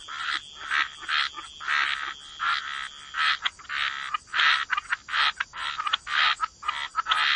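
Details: Frogs croaking at the waterside in a wetland, gritty bursts scattered at first, then crowding closer together and louder toward the end, a faint constant high-pitched tone in the background.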